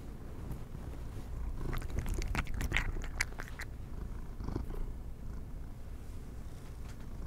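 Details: Cat eating treats, quick crunching bites packed between two and four seconds, one more chew near four and a half, over a constant low purr; no speech.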